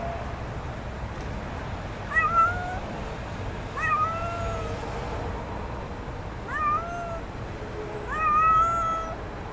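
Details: Little stray kitten in a back yard being offered food meows four times, roughly every two seconds, each call a rising-then-level harmonic wail with a brief upward onset, set against faint steady background hum.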